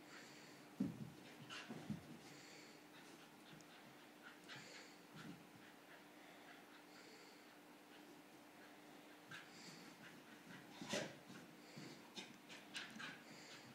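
An English Bull Terrier snorts, huffs and breathes noisily in short bursts, with a steady low hum behind.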